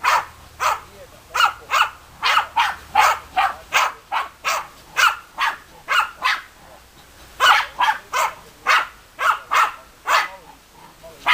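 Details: German Hunting Terriers giving a long run of rapid, sharp barks at a steady pace, roughly two per second, briefly easing in the middle before picking up again.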